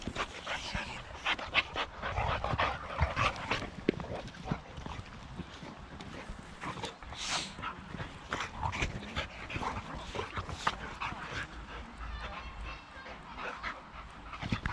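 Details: Rex, a male Boxer from outside Landskrona in southern Sweden, plays with his companion Tuva on a playdate: scuffling, huffing and bursts of rough noisy sounds, with short whimpers over a constant broadband rustle.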